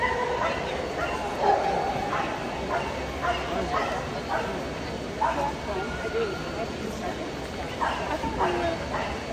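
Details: Boston Terriers at Best of Breed judging in Sioux Falls, SD, 2022: short, sharp barks come in irregular bursts, some in quick pairs, over steady crowd murmur and people talking in the show hall.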